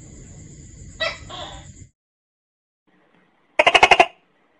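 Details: Tokay gecko (Gekko gecko), a tree-dwelling species active at dawn and dusk: a two-part call over a high steady whine, then silence, then one loud burst of rapid clattering pulses.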